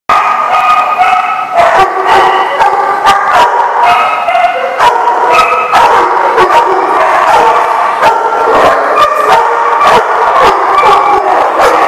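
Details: Dogs barking at The Barking Lot, recorded 8/9/14: dense, overlapping harmonic barks and yips follow one another almost without pause across the whole stretch, several voices at differing pitches, loud and continuous.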